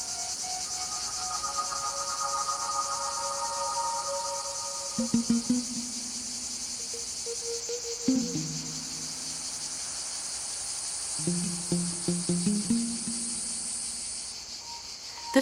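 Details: In hot summer sun in the Mediterranean garrigue of Provence, a male cicada's steady, high-pitched buzzing song, a mating call to females, runs under soft music.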